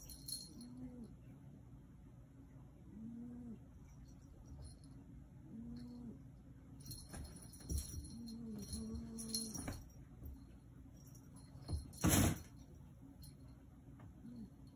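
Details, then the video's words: Talking black Maine Coon named Yoda: a series of brief low murmured calls, some in quick pairs, interrupted by clattering bursts and a loud rustling noise near the end. "Talking Yoda cat (black Maine coon)"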